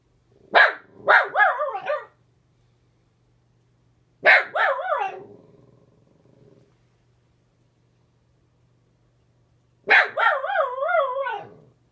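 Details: Ginger, a pet dog, barks at the neighbor spotted through the window, giving three clusters of rapid, tonal barks with wavering pitch, the last a drawn-out run of several barks, separated by silent gaps over a low background hum.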